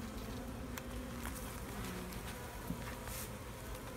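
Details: Dense low hum of bees as a keeper inspects a hive with a new queen; continuous droning buzz with faint knocks from frames being moved and a soft rustle.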